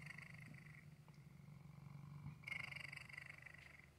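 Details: Continuous low purring from a male pet cat, a steady rumbling hum that grows slightly louder near the end, with one faint tick in the middle.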